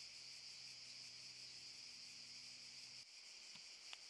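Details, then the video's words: Cicadas in Park Šuma Musapstan, Zadar, August 2014, keep up a steady high-pitched buzz; the low background hum cuts out near the end, followed by a couple of small knocks. "Cicadas chirping"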